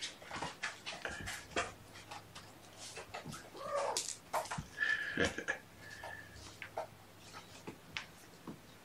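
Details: Mother cat Gamora, indoors with her five kittens born April 14, calling the babysitter on the morning of June 6, 2018: a few short, faint meows midway through, amid soft clicks, rustling and handling noises.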